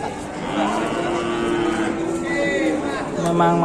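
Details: Large fat cattle down from Mount Telomoyo, Indonesia, awaiting a buyer: a long, steady lowing moo holding one pitch, then a second shorter call at the end, with nearby voices in the background.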